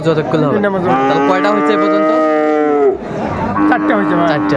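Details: At a cattle market, Ambari Haat in Dinajpur, 22 April 2024, with Friesian and cross-breed bull calves on sale, a sustained level moo of about two seconds is followed by a brief second call amid voices and crowd noise.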